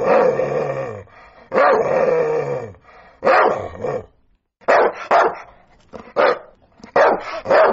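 A sprocker spaniel barks in loud, harsh bursts, some drawn out and others short and doubled.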